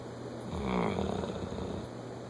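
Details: A bloodhound snoring: a single slow, rough breath that swells and fades over about a second, with a low steady hum underneath.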